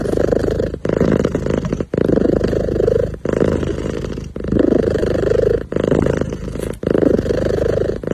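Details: Kitten sitting happily, making soft sounds: a close, low rumbling purr in bursts of about one second, separated by short breathing pauses, about eight bursts in a row, with no other sounds.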